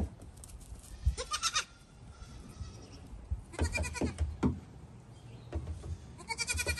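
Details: Playful goats jumping onto a small dinghy: short harmonic bleats come near the start, middle and end, between dull knocks and thumps of hooves on the boat and low rumbling.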